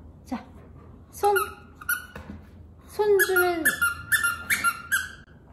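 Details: Jaerongi, a male Maltese dog, indoors after a fun day, gives high squeaky whines: short tonal yelps, then a drawn-out falling whine and a quick run of repeated squeals, while a woman talks to him and asks him to wait.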